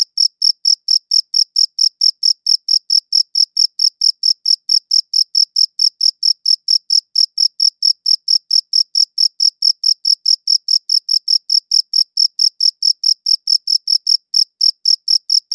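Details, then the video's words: Continuous cricket chirps from a high-quality recorder: a long, regular train of bright, high-pitched pulses, roughly two and a half each second, unbroken throughout and with nothing else audible. "Cricket Chirping Sounds"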